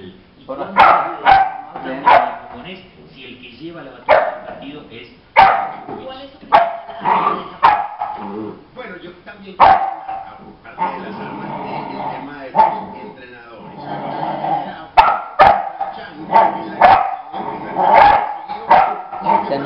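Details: Paty, a female pit bull puppy, adopted, barks at her own reflection the first time she sees herself in a mirror; sharp, irregular barks recur throughout, mixed with Spanish speech in the room.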